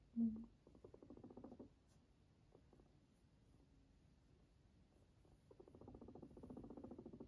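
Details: Sheltie guinea pig named Max purring at home, a low buzzing rumble made of rapid pulses in two bursts, one early and one near the end, with a quiet gap between.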